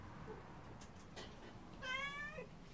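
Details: Cat meowing once, a single wavering, slightly quavering mew that drops in pitch at its close, heard above a soft, steady rumble of background noise.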